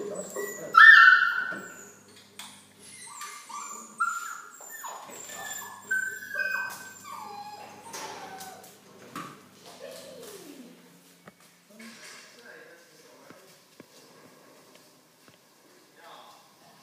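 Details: Golden Retriever puppy, eight weeks old, during microchipping for identification before going to a new home; high whining squeals early, then softer whimpers fading out, with voices and handling noises in the room.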